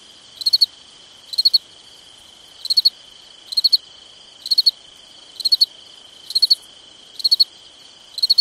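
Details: Summer night cricket calling with evenly spaced chirps of three to four quick high pulses, about one per second, above an unbroken high-pitched background drone of more insects.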